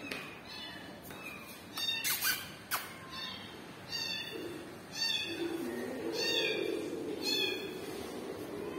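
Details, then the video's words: Kitten crying for its mother cat. It gives a series of soft, repeated meows, with a person speaking Hindi and low murmuring voices underneath, plus a few sharp taps. "kitten crying for momma cat"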